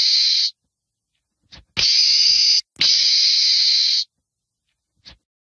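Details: Meerkat, a small mongoose of southern Africa, giving harsh, hissing screams: a short burst, then two long rasping blasts of about a second each, with brief faint clicks between and silence around them.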